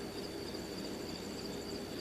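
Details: Crickets chirp in a thin, steady, high trill over a broad wash of outdoor noise at Boca Chica, Texas, with birds also heard.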